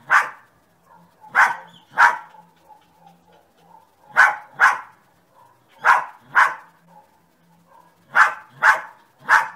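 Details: Dog barking in loud, sharp bursts, mostly in pairs or triplets spaced about two seconds apart, with quiet gaps between and no other clear sounds.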